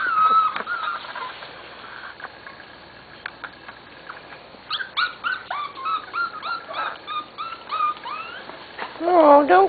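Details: Corgi puppies almost seven weeks old from two litters, scattered whines at first, then a busy stretch of overlapping high yips and whimpers, with a louder pup crying near the end and a person speaking softly.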